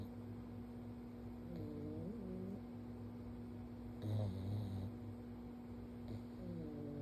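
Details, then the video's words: A sleeping pug named Stanley, lying on his back and getting forehead pets, gives whistling, bending snores with throaty rasps every couple of seconds against a constant low background hum. "Cutest Pug Ever: Stanley’s Snoring and Cuddles"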